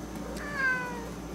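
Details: A Siamese cat on a computer desk, stopping its owner from working, gives a single short, clear meow that rises slightly and then falls away, with a window air conditioner humming in the background.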